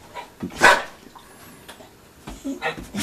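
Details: Female Vizsla sneezing on command after being asked for four sneezes while a person counts; one strong breathy burst early, then softer snuffling bursts later, with faint voice sounds.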